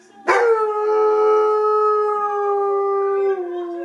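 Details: Female Northern Inuit dog howling along to opera music, the Habanera; one long, steady, clear tone held for about three seconds with rich overtones, dropping slightly in pitch at the end.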